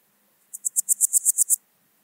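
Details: Swiss gold grasshopper (Podismopsis keisti) at Wildhaus, Switzerland, on 7 October 2022: a short burst of about nine rapid, evenly spaced high-pitched hissing syllables lasting about one second, on an otherwise quiet background.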